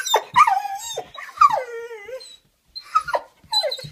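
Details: Young Weimaraner, almost five months old, eager to go for a walk, gives loud high whines and yelping cries that slide downward, several drawn-out wails broken by short pauses, indoors.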